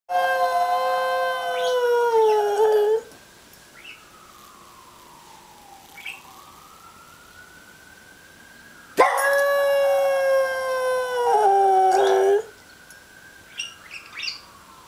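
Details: Domestic dog howling in response to a siren: two loud sustained harmonic howls, 0–3 s and 9–12.5 s, each falling slightly at the end, with a faint wavering siren tone between and after them.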